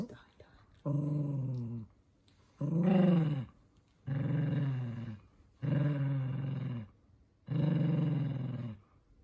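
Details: Minato, a toy poodle, growls in anger as socks are put on his paws indoors: five throaty, voiced growl bouts of about a second each, coming roughly every two seconds with short quiet gaps.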